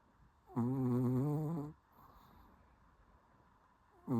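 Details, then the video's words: Sleeping Shih Tzu, likened to a beagle, snoring: one long, low, buzzy droning snore with rich harmonics lasting about a second, then quiet breathing, and the start of the next snore at the end. "비글 같은 시츄가 코골이를 한다고요???"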